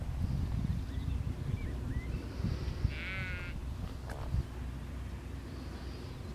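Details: Sheep in a field being herded by a working border collie; a single tremulous, quavering bleat lasting about a second, preceded by two short rising chirps, over constant low wind noise.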